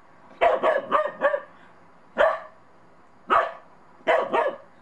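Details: First snow for Monty, a Bedlington Terrier puppy wary of a little snowman; a rapid run of four barks followed by three more spaced single or doubled barks, loud and clear against quiet background.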